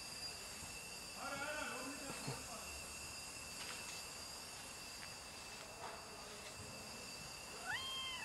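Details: Cat outdoors, one of two cats plus a fluffy rolling cat, gives soft harmonic meows near the start and a clearer arched, rising-then-falling meow at the end, over a steady high-pitched hum and faint voices.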